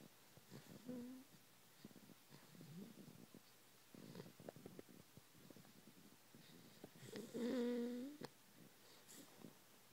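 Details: A sleeping 12-week-old male English Bulldog puppy, groggy after a long day, gives wheezy, nasal, whistling snores, one brief near the start and a longer, louder one near the end, with soft rustling and clicks between breaths.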